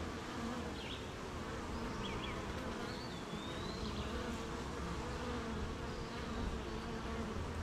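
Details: Honey bees working a beehive in morning rain, making honey: an even, thick buzzing drone throughout, while a far-off bird gives a few short chirps and one long, thin whistle.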